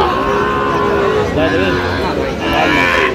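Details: At a Cox's Bazar livestock market in Bangladesh on 8 November 2025, a Sahiwal bull calf lets out short, mid-pitched moos. Men haggling over the price talk over the lowing, and the crowd hums behind them.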